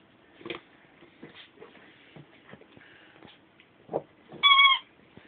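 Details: Ten-week-old Bichon Frise puppies give a short high whine near the end, a bright tone with stacked harmonics lasting under half a second, after scattered soft rustles and small clicks.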